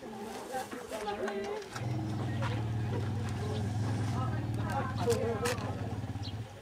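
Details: Asian elephants: bystander MP reassures distressed JK, who was upset by a bull roaring in a nearby camp, and the two vocalize within trunk's reach. A deep, steady harmonic rumble runs from about two seconds to the end, after brief higher calls.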